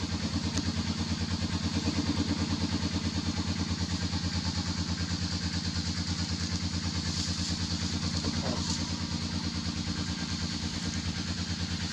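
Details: A motorcycle engine idles and rumbles steadily throughout, with faint clatter on top.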